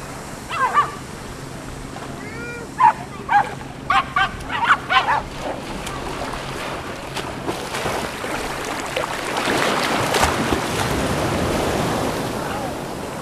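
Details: Jack Russell Terriers, four together on Laem Ka beach in Phuket, Thailand, giving a burst of sharp, short barks and yelps in the first seven seconds, some rising and falling, before breaking surf and wind take over.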